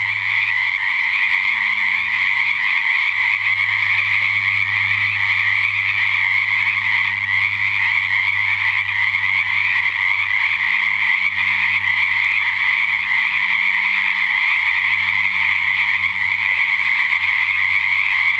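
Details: Frog chorus at a natural pond at 7:00pm in the dark, February 2009, after a couple of weeks of rain; dense continuous croaking trills form a steady high band, with low hum beneath throughout.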